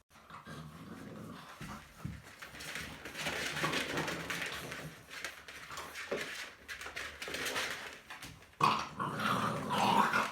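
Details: American Bully puppy, born 25 December 2018, growling steadily in a rough, raspy, continuous rumble with brief pauses, rising to a louder, harsher burst near the end.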